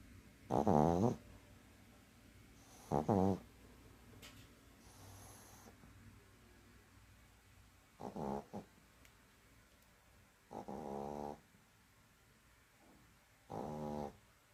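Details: Dog snoring while asleep, five harmonic, buzzing snores spaced roughly every two to three seconds, each lasting under a second, separated by soft breathing and quiet room tone.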